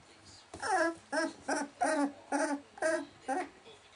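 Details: Welsh Springer Spaniel puppies, 19 days old, indoors: seven short, harmonic whimpers, each about a third of a second long, come in a loose series, with quiet pauses between them.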